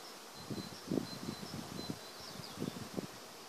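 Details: Bees in an acacia forest, a low droning buzz rising and fading in repeated passes, loudest near one and three seconds, with faint high bird whistles far off in the background.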